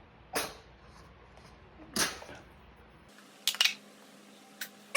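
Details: A pug told to sit and wait for its food lets out two forceful, breathy sneezes about a second and a half apart, followed by a few crisp clicks and taps.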